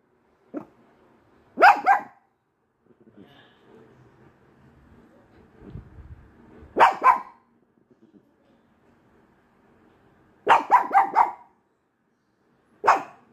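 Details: A small white Pekingese gives sharp, high barks in short bursts with quiet pauses between them, seemingly barking at nothing (jokingly "at a ghost").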